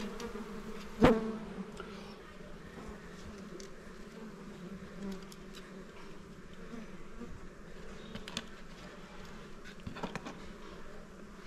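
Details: Honey bees at a small beehive while honey is taken from it: a steady low droning hum with a second higher layer, one sharp knock near the start and scattered light clicks and taps.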